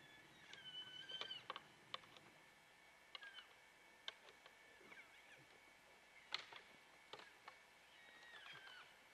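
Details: Rutting bull elk wrestling nearby: a thin, high whistled bugle note holds early on with a lower tone beneath it, while repeated hard clicks and clacks of antlers knocking together continue throughout.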